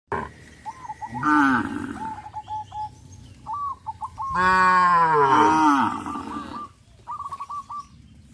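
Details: Cows herded by a farmer along a countryside road: a short moo, then a long, loud, wavering moo of about two seconds, with a repeated chirping bird call in the background.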